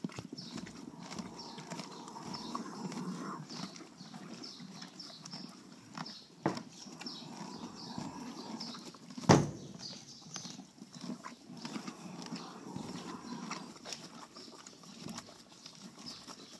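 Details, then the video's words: Thoroughbred mare off the track, born 2006, with severe roaring after over four weeks of steroid and antibiotic treatment; rhythmic, noisy, rasping breaths in time with hoofbeats, plus one sharp knock midway. "OTTB roaring after 4+ weeks of treatment"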